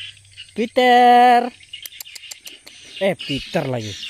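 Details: Cat named Tiger on a rat hunt in a rice paddy: a short call, then a level, sustained meow, followed by a few shorter falling calls, over a constant buzz of insects.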